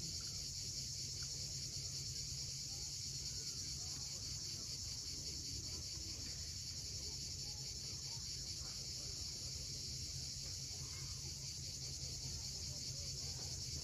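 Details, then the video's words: Crimean coastline at Cape Fiolent at sunset, cicadas buzzing in an unbroken shrill wash of sound, with low, rolling surf noise underneath throughout. "Cicadas at sunset."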